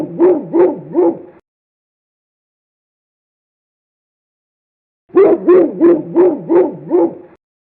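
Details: A dog barks in two bursts: three quick barks, a pause of several seconds, then a faster run of about six sharp barks, with no other sounds in the silence between.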